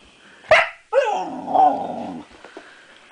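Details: Female Siberian Husky puppy, six months old, reacting to her own reflection for the first time: one sharp yelp-like bark, a brief pause, then a drawn-out, wavering, talkative howl lasting over a second, followed by soft shuffling.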